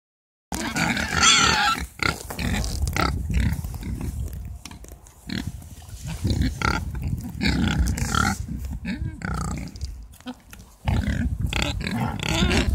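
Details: Mangalica pigs from a herd kept at a garden nursery, grunting in dense, low, rough bursts that overlap and come several times a second, with louder snorting stretches and brief higher squeaky noises early on.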